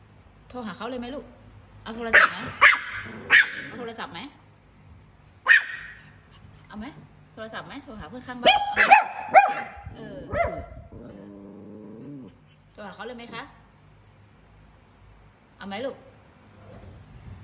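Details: A Chihuahua barking at a cat lets out shrill, clipped yaps, sometimes doubled or tripled, with pauses between bursts, while a woman talks throughout, often overlapping the barking.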